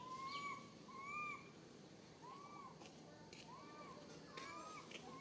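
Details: A tiny baby monkey named Santos, stuck alone on a high tree, calls its mother in fear: clear, high, arched whistles that rise and fall, about seven in five seconds, with faint clicks behind.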